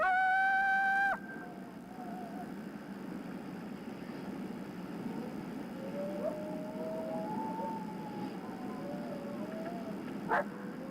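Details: Coyote (Canis latrans) warning bark howl: a loud, harsh aggressive bark, then faint fluctuating howls. It is typically given 100–200 yards off after the coyote hears, sees or smells a person, and it alerts area coyotes that something is wrong.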